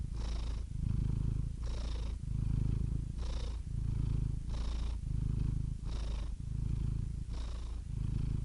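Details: Domestic cat purring steadily: a deep, rumbling low throb that swells and eases with each breath, roughly every second and a quarter, with a soft airy hiss at each breath change and no other sounds.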